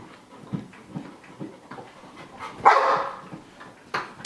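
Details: Sky, a pet dog, pants in quick rhythmic puffs, then lets out one loud, sharp bark and a shorter yelp. Anxious fear-of-missing-out barking while another dog, Gem, performs tricks, with a trainer's voice heard.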